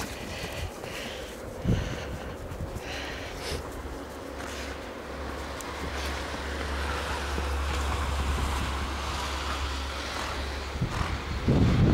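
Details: Steady wind buffeting the microphone with a low rumble and a few soft thumps; no animal voice stands out.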